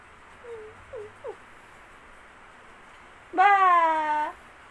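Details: Male Siamese cat giving a single loud, drawn-out meow that starts low, rises, then holds steady, after three soft, brief chirping mews in quiet surroundings.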